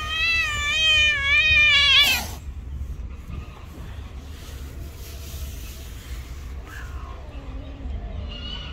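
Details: Stray street cats squaring off in a fight; a loud, long wavering yowl for two seconds ends in a sharp hiss, then quieter faint yowls under constant low traffic hum.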